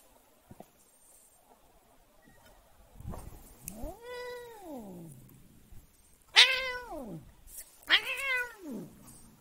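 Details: Domestic cat, annoyed, gives three long harmonic meows: a drawn-out rising-then-falling wail near four seconds, then two louder, sharper arched meows in quick succession toward the end, over a quiet indoor background with a few soft knocks.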